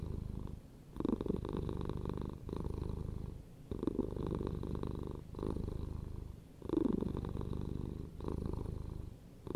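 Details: Domestic cat purring steadily and close, a low rumbling vibration swelling and easing in breaths roughly every one and a half seconds, with soft quieter gaps between cycles.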